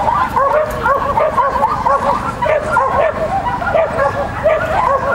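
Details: Lesya the Shetland Sheepdog at a Child and Dog contest, 31 May 2015: rapid, excited yappy barks in clustered runs, continuous over the clip, with a child speaking in the background.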